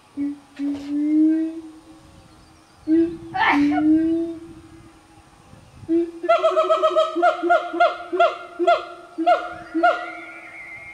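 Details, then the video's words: Close-knit family of five siamangs in the North Sumatra highlands, Indonesia: drawn-out low hoots, a short squeal, then a run of quick rhythmic whooping notes that climb in intensity. "Siamang Singers & Swingers"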